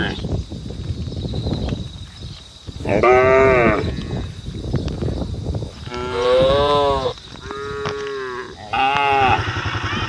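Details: Cattle standing on a road mooing to call the herd, several long harmonic lows from more than one animal, some rising then falling, with background noise and faint human voices between calls.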